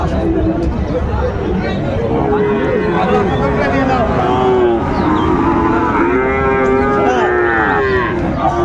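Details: At a Chattogram cattle market in Bangladesh on 19 December 2024, Sahiwal cattle give long, steady, drawn-out lows that overlap one another, with busy crowd noise and voices underneath throughout.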